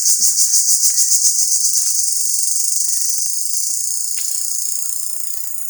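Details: In a Bangladesh village on 30 March 2024, an insect locally called jhijhi poka, probably a cricket, gives a loud, continuous, harsh high-pitched buzzing trill; it calls very loudly by day rather than at night, and its exact identity is unknown.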